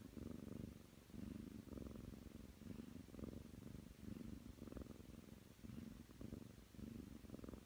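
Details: Young Ragdoll cat, nine months old, purring while kneading: a close, low vibrating rumble broken into rhythmic bursts with each inhale and exhale, nearly one per second, indoors and quiet.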